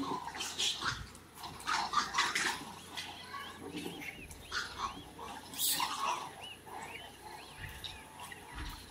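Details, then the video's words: Vervet monkeys in Ethiopia give harsh, noisy chattering calls in rapid, overlapping bursts. "Vervet, Ethiopia - Noisy Vervet monkey - Sound effect"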